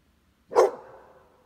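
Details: A single loud, abrupt bark from a Pitbull or Beagle–Basset Hound mix dog, with a brief ringing tail that fades over about half a second.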